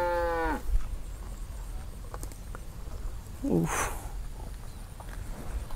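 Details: A cow raging while stuck in a rural irrigation ditch near a grass field: a brief, strong moo dropping in pitch at the end, later a short strained grunt-like call amid rustling and background noise.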